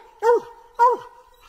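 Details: Bluetick Coonhounds barking treed: two short, rich, slightly falling barks about half a second apart over a steady background hum.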